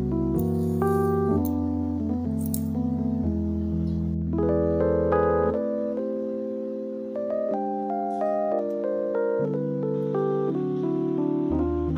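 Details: Piano or electric keyboard music plays throughout, with chords and melody notes and no animal sound heard.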